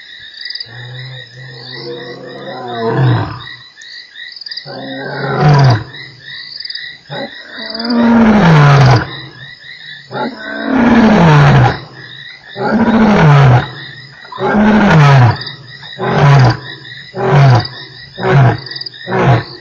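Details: Lion roaring at Nkorho on 3 March, one of eight roars in an hour: long moaning roars falling in pitch, then a run of shorter grunts spaced about a second apart, with insects buzzing steadily behind.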